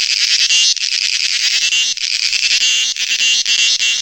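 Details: Close cricket calling: fast, rattling high trills in pulsed runs with short pauses between, plus a faint low hum.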